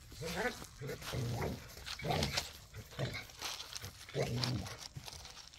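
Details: Pit bull and Malinois dogs playing rough in a back yard, tug of war with toys; repeated low rumbling growls and snarls in bursts about once a second, with broadband scuffling noise.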